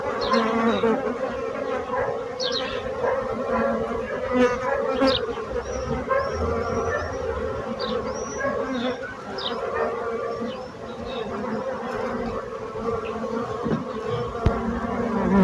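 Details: Bees buzz in a steady, dense hum that lasts the whole stretch. A run of thin, whistled bird notes follows earlier high chirps, and a few soft thumps are heard.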